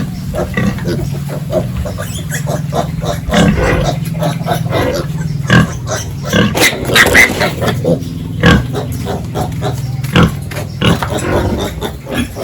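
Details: Pigs on a village farm, heard during morning feeding and pen cleaning: dense, overlapping snorts and grunts recur every second or so over a constant low mechanical hum, with an occasional louder squeal-like burst.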